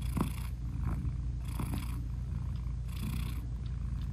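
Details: Nursing British Shorthair mother cat purring to her newborn kittens; low vibrating rumble with three airy swells spaced about one and a half seconds apart, a few faint clicks.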